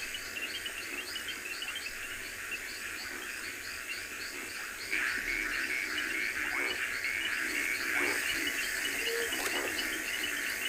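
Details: Many frogs, including reed frogs, call from a river at sunrise on 15 October 2020, a dense chorus of high, quick chirps and short whistled notes, over a steady insect-like hiss, with a brief burst of laughter.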